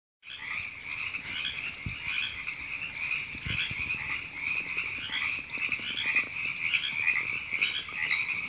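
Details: Many frogs called river frogs calling in April 2017 at Temescal Canyon Park, Los Angeles, California: a dense, continuous chorus of overlapping raspy pulsed croaks with a steady mid-high buzz. Faint higher chirps sit above it.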